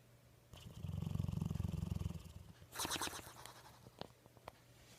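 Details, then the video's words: A dog snores deeply, a low vibrating rumble of fast regular pulses for over a second, followed by a shorter, airier rasping breath and a few soft clicks as it settles. "snoring dog"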